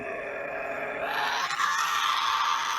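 A Tasmanian devil gives a harsh, raspy groan that rises into a strained, whining screech.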